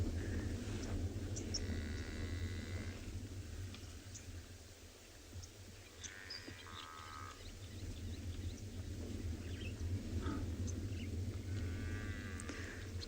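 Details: African buffalo in a herd at sunrise, 26 June 2020, call and belch at each other: nasal, bleating calls and low belches over a steady deep rumble. These calls were thought to have been mistaken for distress calls.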